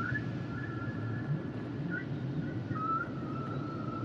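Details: Humpback whale song units: high wavering whistled tones that bend up and down and repeat throughout, set against a continuous low murmur of underwater noise.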